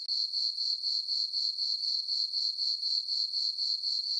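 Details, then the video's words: High, tinkling cricket chirps from a farm meadow on a full-moon summer night, pulsing evenly about four times each second, with a brief dip at the very start and no other sounds. "Cricket chirping sounds for sleeping - sleep and relaxation nature sounds at night"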